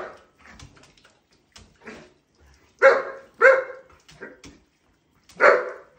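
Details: German Shepherd vocalising at shower time: soft yips and whimpers at first, then three louder barks near the middle and end, with faint rustling between.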